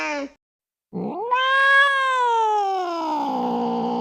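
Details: Angry cat: a brief cry, then a pause and a long rising yowl that levels off and slowly sinks, growing rougher toward the end; quiet otherwise.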